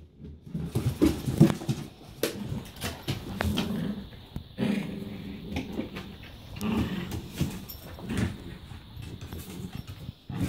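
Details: During an indoor play date, Cinega, a rescued female Hungarian Vizsla, play fights and tugs with little Freya. Low rumbling growls come in repeated bursts between huffing breaths, with scrabbling paws and thumps throughout.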